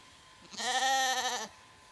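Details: Zwartbles sheep on a regenerative farm in County Kilkenny, Ireland, as late lambs fail to recognise their freshly shorn mother: one loud, steady, tremulous bleat of about a second, harmonics stacked high, quiet background.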